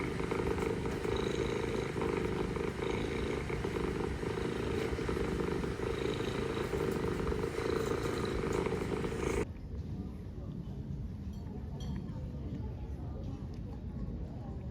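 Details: Istanbul street mother cat purring to her kittens, a continuous low pulsing rumble that drops sharply in loudness about two-thirds through, continuing softer to the end.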